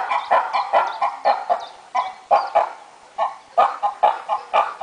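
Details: At Opole Zoo, noisy monkeys give short, clipped, harmonic barks in quick bursts of two or three, several to the second, with pauses between bursts and faint murmur behind.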